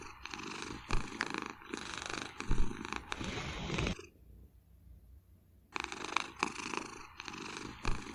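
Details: Domestic cat napping on a chair behind a desk at home in Vancouver, suddenly snoring: rough, rumbling breaths in a steady rhythm, broken by a quiet pause of nearly two seconds mid-way before the snoring resumes.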